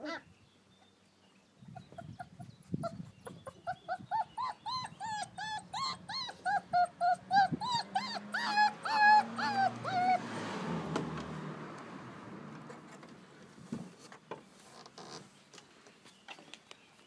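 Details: American Akita puppies playing outdoors in their garden enclosure on a fine day: a run of high, arched whining yelps repeated about twice a second, then softer rustling and scuffling of play.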